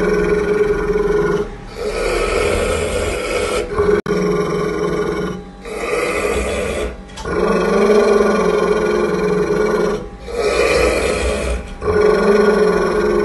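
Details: Angry pit bull growling at its owner while feeding, long loud rumbling growls lasting one to three seconds each, separated by brief pauses for breath, repeated steadily throughout.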